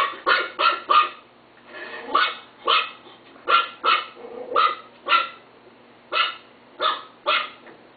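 A Chihuahua gives sharp, high-pitched barks in quick runs, several each second with brief pauses.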